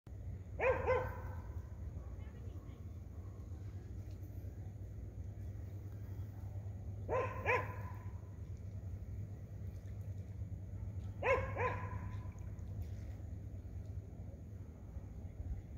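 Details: A sea lion at Gibsons Beach, Powell River, barks back at a dog with harsh, hoarse barks in short clustered bursts, several seconds apart, over a low steady rumble.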